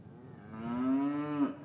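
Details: A single moo from a cow in an English cattle yard, winter afternoon, calves separated from their mothers, recorded on paired Rode M5 microphones. The low note swells and holds, rich in harmonics, ending with a slight upward lift.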